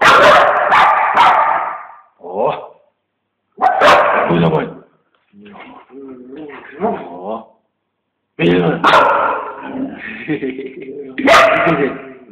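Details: Siberian Husky, a female aged eight, playing with her owner, recorded on a Samsung GT-S5230 phone: bursts of loud barks and warbling, talk-like vocals separated by pauses, with a person speaking among them.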